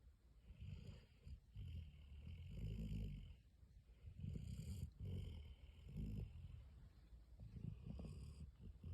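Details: A Weimaraner snoring on the couch, each low rumbling breath swelling and fading about every one to two seconds.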